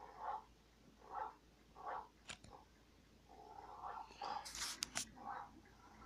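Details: Three muffled dog barks about a second apart. They are followed by sharp clicks and knocks, then a few more softer barks mixed with rustling noise.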